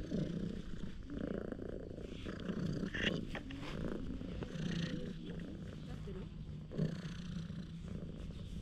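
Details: Affectionate stray cat rolling over with a funny face, its loud purring caught on a GoPro HERO8: a steady low rumbling throb underlies the whole stretch, overlaid by nearby speech and brief handling noises.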